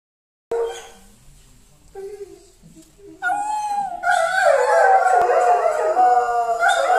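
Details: {'caption': "Several Saarloos wolfdogs at home howl as a mobile baker's fanfare passes the house. Faint tonal notes come first, then a loud chorus of overlapping, wavering howls rises and holds from about three seconds to the end."}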